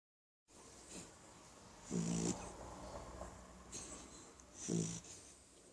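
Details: Ramon, a sleeping baby Beagle, snoring softly: a few short, low rasping snores at uneven intervals with faint breathy hiss between them.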